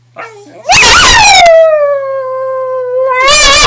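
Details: Female pet dog howling on command: a long clear tonal note swelling loudly, then easing down into a steady held tone for nearly two seconds before a fresh loud burst, with a person praising her afterwards.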